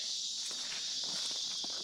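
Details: Cicadas, very loud here (louder than in the States), keep up a loud, steady, high-pitched buzzing drone at a site 75–100 m from the road, with footsteps crunching nearby during a dry spell.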